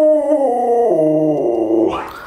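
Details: Indoor howl from Luoluo the Alaskan Malamute while the owner is sick in bed: a rich, many-layered tone stepping gradually lower, ending in a brief rough upward break.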